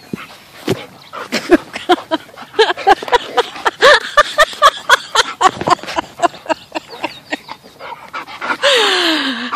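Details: Nine-month-old rescue Bull Terrier puppy with an older rescue Bull Terrier at play: rapid bursts of short yips and barks, then a long whine sliding downward at the end, with some laughter and voices.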